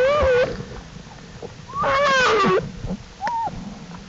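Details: Black bear cubs out of the den with mother Jewel on April 2, 2012; two drawn-out wavering squalls, the second longer and falling, followed by a short higher cry and faint shuffling.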